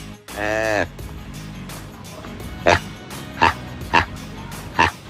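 A spoken word opens the recording, then a proboscis monkey follows with four brief, nasal honks. Each honk is abrupt and buzzy, repeated at uneven intervals of roughly half a second to a second.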